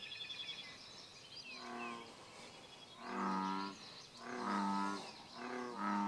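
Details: Bullfrog at Bombay Hook National Wildlife Refuge giving deep, resonant, rumbling notes in a run of about four drawn-out calls, each close to a second long, while birds chirp and twitter higher in the background.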